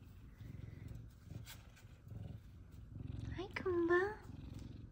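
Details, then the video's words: F2 Savannah cats Kumba and Zara welcoming their owner home from work indoors; a soft, rumbling purr underlies the first seconds, then one clear drawn-out meow near the end, with a woman's greetings in between. "Sweet F2 Savannah Cats Are Happy I’m Home. Meows And Purrs."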